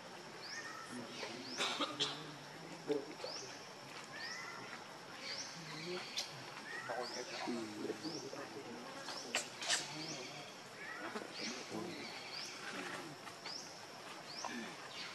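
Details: Baby monkey Leo, hungry and angry, cries to beg its mother for milk: repeated squeaky, harmonic wails and short rising chirps in irregular bursts, with sharp clicks and steady rustling outdoor background.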